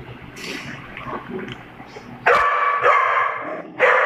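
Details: A Doberman and a pug at play; after a quiet, rustling start, three loud, sharp, harmonic barks or yips come in quick succession toward the end.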